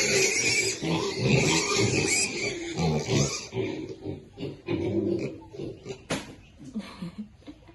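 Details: Piglets feeding contentedly: loud, overlapping snorting grunts at first, thinning to separate short oinks and a few higher squeaky notes near the end.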